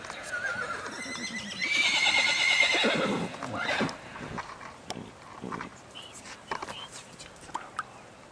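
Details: Wild horses of the Batman and Robin band on the Salt River near Mesa, Arizona, in September 2012; one loud drawn-out whinny with a high tone, then softer snorts, hoof knocks and scattered faint voices in the background.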